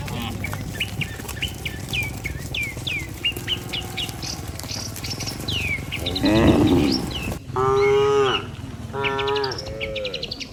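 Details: Healthy farm cattle in a herd being driven by a herder back to the barn. Bright repeated bird chirps fill the first half. Then several long, low, droning moos follow close together, with steady background noise.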